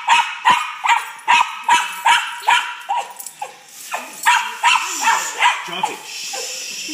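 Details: Pet dog, overweight and excited about going for a walk, barking in a rapid regular series of sharp yaps, about two or three per second, easing into looser, more scattered barks near the end, with a human voice faintly present.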